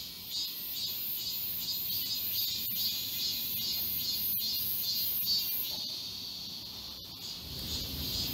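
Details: Cicadas in chorus along a forest walking path in Galsan Park, Yangcheon-gu, Seoul, in summer. The shrill, pulsing buzz repeats steadily, about twice a second, over soft background hum, and low rustling rises in the last second.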